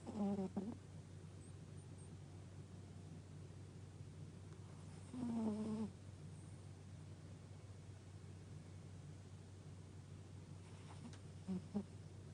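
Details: Gaku, a pet dog, asleep and looking comfortable, snores in three spaced, nasal, harmonic rasps: one near the start, a longer one midway, and a faint one at the end, with a steady low hum between them.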